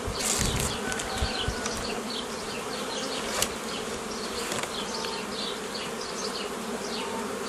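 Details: Honey bees buzzing as a beekeeper forms nucleus colonies the old way from a previously made forager swarm, 15 May 2018; steady low droning hum with dense overtones throughout, small birds chirping with quick descending notes in the background.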